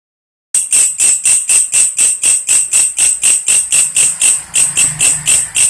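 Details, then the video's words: Belalang kecek, also called belalang krek-krek or belalang kerik, a grasshopper used as a tutor sound for lovebirds: a loud rasping buzz pulsed about four times a second, each burst high-pitched and raspy, steady and rhythmic after a brief silence. "SUARA BELALANG KECEK / WALANG KERIK MASTERAN BURUNG"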